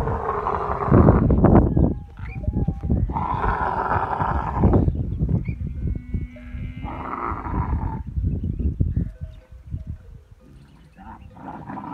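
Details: Camel in masti (rutting) season, giving loud low rumbling, gurgling bursts with harsh broadband roars, separated by brief quieter pauses, with the volume fading toward the end.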